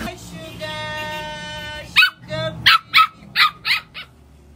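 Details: Several Lhasa Apsos fighting together give a run of sharp, yappy barks, roughly one every half second, after a person speaks.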